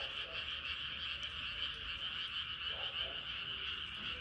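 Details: Frogs at night as the moon comes up: a thick, steady high trilling chorus, with short lower croaks surfacing near the middle and end.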